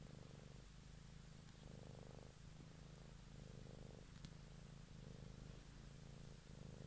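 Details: Close-up evening purring of a domestic cat for ASMR listening, a deep continuous rumble pulsing with inhale and exhale roughly every 0.8 seconds, with a faint click partway through.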